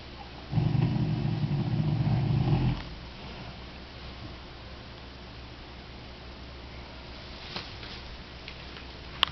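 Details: Sleeping Percheron mare snoring, a snore sometimes loud enough to be heard from the house. A single deep, rough rumbling snore lasts about two seconds, then gives way to quiet room noise.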